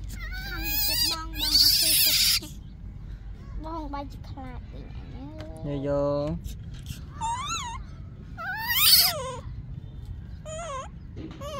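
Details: Screeching cries of Yaya's baby monkey begging for Yoyo's milk, loud harsh squeals in clusters, several swooping down then up, mixed with people talking and background hum.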